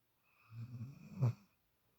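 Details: One drawn-out snore from a sleeping female puppy who took Shadow's usual spot for the first time, low and rattling, swelling to a louder snort near its end.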